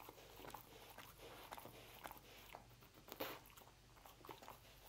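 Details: Dog eating roast beef indoors in a small room: wet, crunchy chewing with irregular soft bites, a sharper louder crunch near the middle, steady faint room hum beneath.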